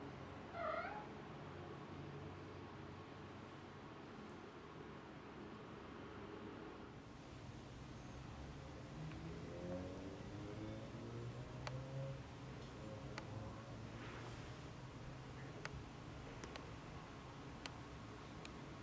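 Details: Kitten from Tiger's litter, about three and a half weeks old, exploring outside the nest indoors: one short, clear harmonic mew near the start, then only faint soft sounds and light clicks over a steady low room hum.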